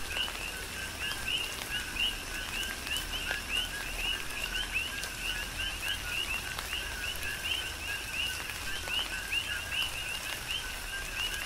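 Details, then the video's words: Coqui frogs calling in a chorus during a tropical rain shower on the Big Island of Hawaii; many overlapping two-note chirps, a lower note sweeping up to a higher whistled one, repeated constantly, with steady rain patter and drips. "Tropical Rain & Coqui"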